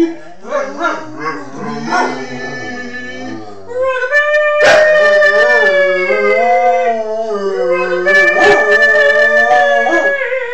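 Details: Schnauzer 'singing', recorded on an Android phone: wavering, harmonic-rich howls that rise and fall in short phrases, then a loud sustained howl from about four seconds that holds steady with slight pitch wobbles to the end.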